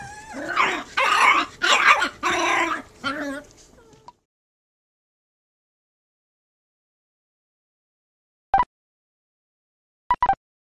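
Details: Puppy barking at a cat, three against one; a quick cluster of high yapping barks and whines in the first four seconds, then silence broken by two short isolated yips.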